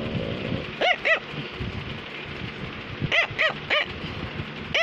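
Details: A Cavalier King Charles Spaniel barks while trying to tell its owner something. High, sharp yips sound in clusters: two quick barks, a pause of about two seconds, then three more and a final single bark, over a faint household murmur.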